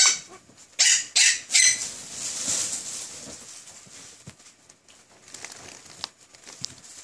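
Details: Tiny Pomeranian dog yapping: three loud, high-pitched barks in quick succession about a third of a second apart, then a fading noisy hiss and scattered soft clicks.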